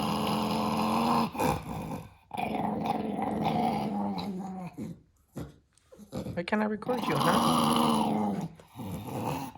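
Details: Male dog that dislikes being recorded, grumbling in long, low, throaty growls that rise and fall, broken by short pauses, close to the microphone indoors.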